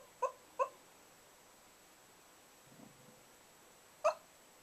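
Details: Asleep indoors, the whippet Bug gives two brief squeaky whimpers close together. After a faint low murmur and a quiet gap comes a single sharper squeak.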